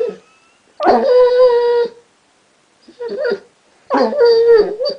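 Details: Basset Hound that has recently learnt to 'talk' indoors gives three moaning, howl-like vocal phrases: a steady drawn-out tone of about a second, a short broken one, then another sustained wavering tone.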